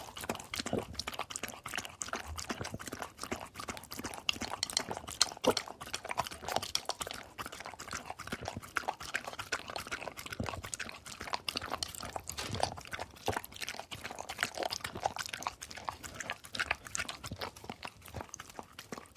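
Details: Dog drinking water: rapid, continuous wet lapping and splashing strokes, many per second, steady for the whole stretch with no pause.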